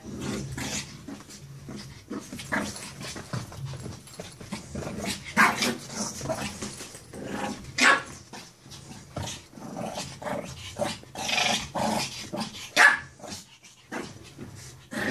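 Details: A 16-week-old purebred Shih Tzu growls and snarls in short, uneven bursts with the odd sharp yap while play-fighting a stuffed toy dog.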